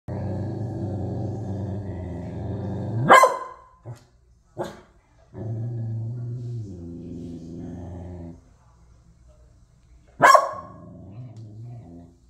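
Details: A corgi, unhappy about a raccoon visitor eating cat food, gives long, low rumbling growls lasting a few seconds each, broken by two sharp, loud barks.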